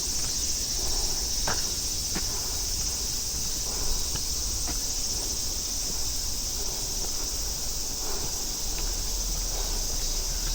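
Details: A continuous, hissing, high-pitched chorus of cicadas and crickets on a forest trail at Namsan, central Seoul, with soft footsteps crunching now and then and a low outdoor rumble behind.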